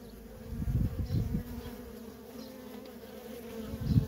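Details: Nonstop traffic of worker honey bees at a feral colony: a continuous two-layered drone. Loud, rough surges at the start and end sound like bees flying close past.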